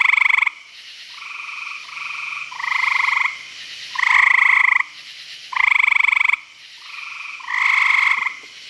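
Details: Frogs at a pond in Virginia after dark give rasping, rapidly pulsed trills of roughly a second. Loud and softer voices take turns in a steady back-and-forth chorus.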